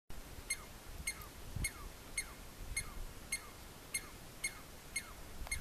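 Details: A lone male Douglas squirrel on a log at Mount Whitney Portal, Inyo, California, about 3,000 m up, gives sharp, ringing alarm chirps, each dropping in pitch, about twice a second, warning others of an unseen predator.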